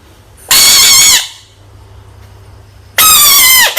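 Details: Angry frog letting out two loud, harsh, high-pitched screams, each lasting under a second with a wavering, nasal tone, separated by about two seconds of quiet background hum.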